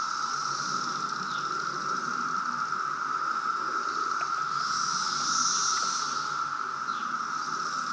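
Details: Loud 2017 brood of periodical cicadas at Reston, Virginia, filling the air with a continuous buzzing drone, a steady whine underneath and a higher hissing wave swelling near the end, with faint clicks scattered through.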